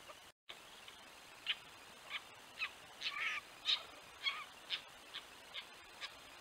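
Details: Red fox giving short, high, squeaky yips about twice a second, recorded at night by a camera at a den entrance in a pasture while the vixen brings in small prey; four pups appear this season.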